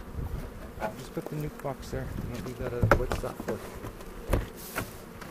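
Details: Honey bee colony opened for an April 27, 2018 inspection by hobby beekeepers near Cochrane, aiming to make a split; steady low buzzing hum of many bees, with voices and handling clicks and knocks.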